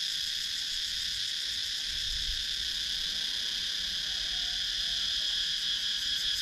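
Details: Countryside woods in Sakon Nakhon, Thailand, filled with cicadas, captured on a GoPro Hero 9 action camera; an unbroken high metallic buzz in stacked bands, faintly pulsing, over a quiet background.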